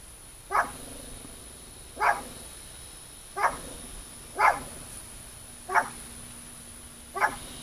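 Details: Cow guard dog barking steadily, six short sharp barks spaced roughly every second and a half, each bark abrupt and clipped, with a faint constant hum in the background.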